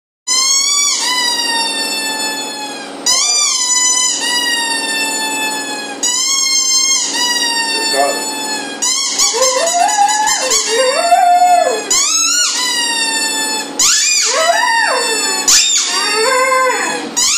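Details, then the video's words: Tyson the dog howls indoors in long, wavering, high-pitched harmonic tones, each drawn-out note bending up and down, in repeated bursts of two to three seconds separated by short breaks. "Tyson howling!"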